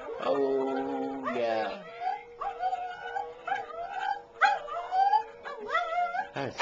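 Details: Pet dog singing along with a musical stuffed toy dog: a low steady tone from the toy beneath wavering, rising and falling yowls and whines from the dog, in short bursts.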